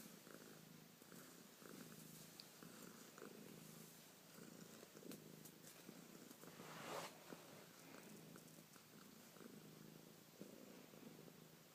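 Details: Female cat keeps up a continuous low purr, its rumble rising and falling with each breath, over faint rustling and a brief soft swish midway.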